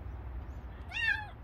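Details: Stray kitten crying: a single high, arched meow, slightly bent downward at the end, over a soft low background hum.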